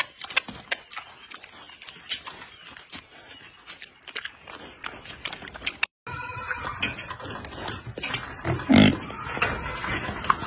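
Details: Baby pig fed ice cream, giving a few short grunts and snuffling sounds amid eating noises; after a brief cut, louder handling noise and a single stronger grunt near the end.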